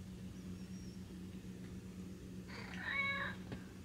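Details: Snowshoe cat, a domestic breed with white feet, giving one short meow near the end with a rich stack of overtones. A quiet stretch comes before it, and a steady low hum runs underneath throughout.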